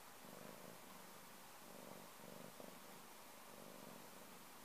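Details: Short stretch of a pet cat's purr, a low buzzing rumble that swells with each breath, over a steady background hiss.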